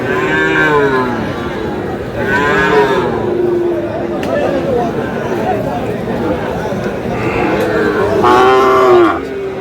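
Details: Lowing from Sahiwal breed bull calves for sale at Aftabganj market in Dinajpur, Bangladesh, 30 June, early in the market: a few long, harmonic-rich moos rising and falling, over constant human chatter and haggling.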